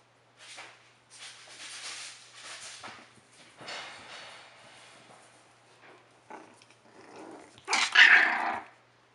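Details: Rat terrier puppies from Tootsie's litter, four and a half weeks old, giving a run of soft, rough growling bursts through the first seconds, then a sudden louder, sharper bark-like yelp near the end, over a faint steady low hum.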